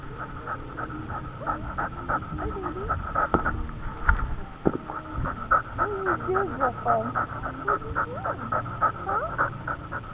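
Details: Dog recorded on a dog camera, panting quickly in rapid, even breaths, with a person's voice speaking over it and a couple of bumps and knocks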